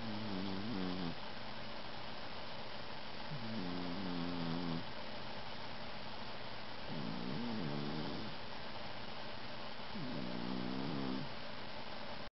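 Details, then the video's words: Smokey Joe the cat snoring in deep sleep, giving rhythmic, droning rasps about one second long, repeated every three seconds or so over a steady background hiss. "Snoring Kitty Cat"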